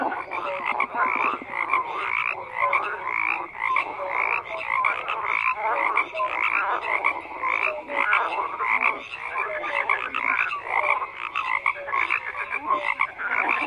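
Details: Thick chorus of croaking frogs, many overlapping rasping and clicking pulses in a steady unbroken stream with occasional clearer notes, no other animals or people.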